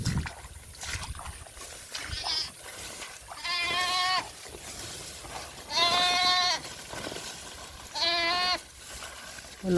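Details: Goat on a small farm calling with three drawn-out bleats, each about half a second to a second long with a strong harmonic stack, spaced roughly two seconds apart; background music and a man speaking Filipino are also heard.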